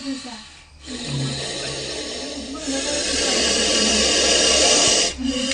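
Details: Aggressive Indian spectacled cobra in a bathroom, hood spread as a warning, lunging at the catcher. A brief man's voice gives way to a long, loud, breathy hiss of about two and a half seconds, rasping and broadband, then stops abruptly.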